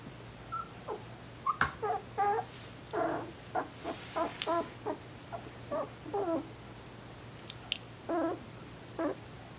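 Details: Sheltie puppies from a litter born 18 December 2012 make many short, squeaky whimpers and little yelps, irregularly spaced, some with a wavering, nasal tone, in a quiet room.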